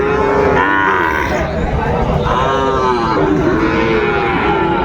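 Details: Sahiwal bull calves at Raniganj cattle market, Dinajpur, 30 May 2024, call in long wavering moos, two or three overlapping bellows, amid constant market chatter and background hum.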